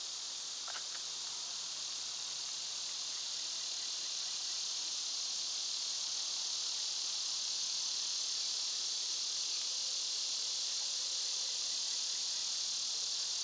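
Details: Summer cicadas in full chorus, a loud, dense, unbroken buzzing drone, finely pulsed at a rapid steady rate, filling the whole stretch with almost nothing else heard.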